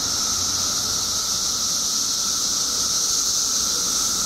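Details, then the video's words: Dense chorus of periodical cicadas emerging in Illinois after 17 years underground, a continuous high-pitched hissing drone over a constant lower buzzing hum. "Billions of Periodical Cicadas Emerge After 17 Years Underground Cicadas Making Noise Illinois State"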